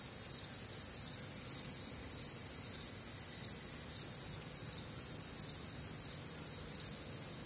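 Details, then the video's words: Crickets and other nocturnal insects on a warm, humid Midwestern summer night, a dense chorus of high shrill pulsing trills layered in several pitch bands, steady and unbroken, with a faint low rumble beneath. "Night Time Cricket Sounds"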